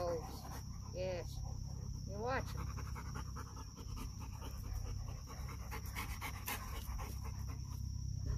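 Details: Rapid rhythmic panting from dogs, one a pup trying to befriend a serious guarding dog. Two short rising whine-like sounds near the start, a constant low rumble underneath, and occasional voices.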